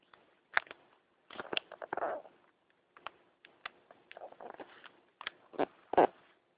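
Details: Ziggy the pug snoring while asleep: irregular rasping, snorting breaths, a longer gravelly snore near the second mark and sharper snorts toward the end, with faint clicking between them.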